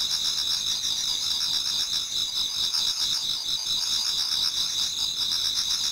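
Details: Many autumn insects singing in a Japanese garden towards dawn: dense, unbroken high-pitched ringing in several stacked shrill bands, overlaid with fast pulsing trills and a steady, even loudness throughout.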